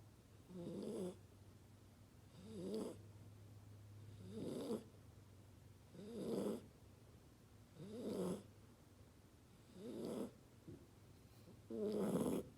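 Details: Kona, a two-month-old Chocolate Labrador puppy, snoring while asleep as fireworks go off outside: soft, rasping, wavering snores repeating steadily about every two seconds over a low, constant hum.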